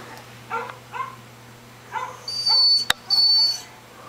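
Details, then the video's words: Ten-month-old puppy barking at dogs shown on a computer screen; short sharp harmonic barks at about 0.5, 1 and 2 seconds, mixed with tonal whining yelps from the onscreen dogs, steady low hum underneath. "Lexie barking at computer dogs"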